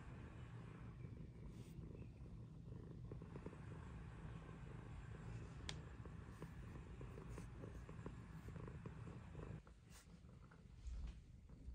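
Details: Pet cat purring, one of the best-friend pair Pizza and Luna enjoying sunshine together; continuous deep pulsing rumble lasting about ten seconds, briefly dipping near the end, with a sharp tick and light rustles in the background.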